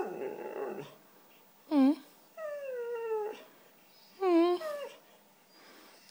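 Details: Indoors, a white female Siberian Husky 'talks' because she wants cheese doodles, answering a woman with drawn-out, slightly falling whine-howls and short yelping rises, spaced by quiet gaps; speech heard at the start.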